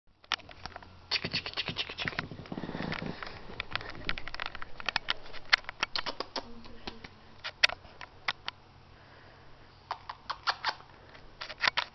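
Scratching and scraping clicks with faint speech, and no clear animal voice.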